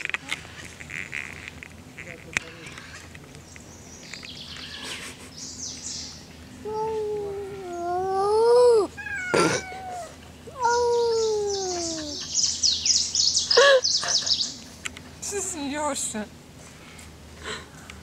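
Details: Cats met in a forest, quarrelling: drawn-out wailing yowls that rise and fall, several long harmonic howls with bursts of hissing and spitting between them, a person speaking at times.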